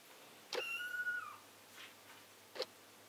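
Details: Female British Silver Spotted Tabby kitten, two weeks old, at a cattery: one thin, high, drawn-out mew lasting nearly a second, falling slightly at the end, followed by a faint breathy sound and a short click.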